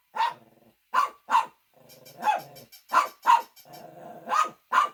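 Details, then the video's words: Shih Tzu giving loud, abrupt barks, several in quick pairs, separated by softer low rumbling or whining sounds between the bursts. "Funny Dogs Barking to Make Your Dog Bark"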